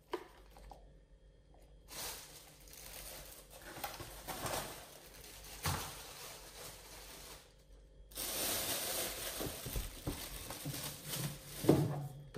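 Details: Nomyen, a female Pit Bull, eats raw beef shank steak and a whole bull testicle for the first time, indoors. Wet tearing, squelching and crunching chewing noises come in uneven bursts, with near-silent pauses around two and eight seconds in.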